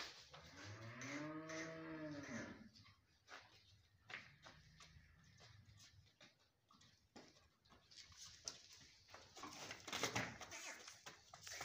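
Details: Dairy cattle, Friesian and Jersey heifers, on a farm in Swabi: one long, low moo with rich stacked harmonics, lasting about two and a half seconds and bending slightly up then down, followed by farmyard clatter and thuds.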